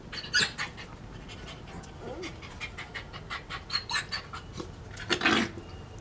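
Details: Adult female dog, the mate of a dog named Ken, breathing in quick, breathy sniffing and panting bursts that repeat irregularly, with a short low whine near the middle and a louder burst toward the end.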